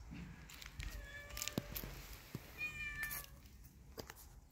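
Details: Kitten playing with a mouse it has caught gives soft, thin meows: a high drawn-out cry near the start, then a brief higher mew midway, with faint clicks and rustles of play around them.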